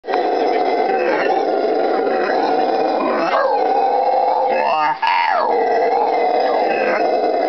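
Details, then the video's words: A pair of howler monkeys at a butterfly farm just outside Iquitos, Peru, on the Amazon River, in June, roar together in a very loud, deep, rasping, continuous chorus that swells and rolls without pause. "Howler Monkeys"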